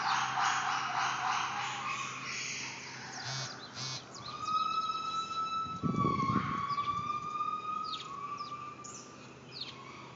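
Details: Gibbons at Stone Zoo calling with long, loud, siren-like tones that hold steady and slide slightly.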